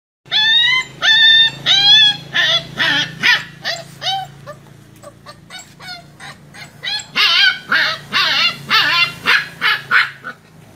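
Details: A pug puppy just over one month old whines in high, wavering yelps, wanting to climb onto a vehicle to get back to its mother.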